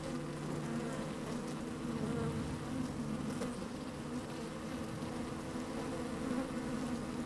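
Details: Inside an open beehive on a sunny, slightly windy day, worker honey bees moving about: a dense continuous drone, low tones steady throughout, a faint deeper hum in the first seconds and occasional short crackles.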